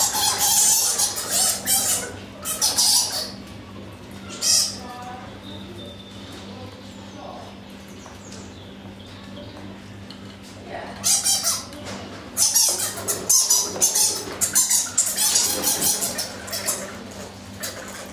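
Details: Egyptian fruit bats in a wildlife park enclosure in February, seen in daylight and sparring in boxing matches, give harsh, high-pitched squawks and chatters in irregular bursts over a low steady hum.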